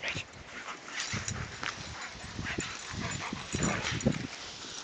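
An Alaskan Malamute gives short whiny yips and grumbling vocalizations, inviting play.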